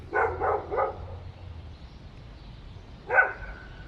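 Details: Three dogs barking in an apartment building: three quick harsh barks in a row, a silence, then a single louder bark trailing into a thin whine-like tone.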